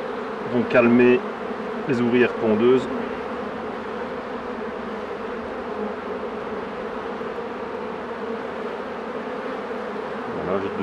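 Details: Honey bees at hives being worked by a beekeeper: a steady, low droning hum of many bees fills most of the stretch after a few seconds of human speech at the start.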